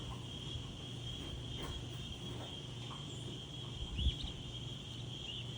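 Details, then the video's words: Insects calling in the daytime outdoors: a steady, high, even drone runs unbroken through the clip over a low rumble of wind, with a few faint chirps near the end. "Wind and Insects"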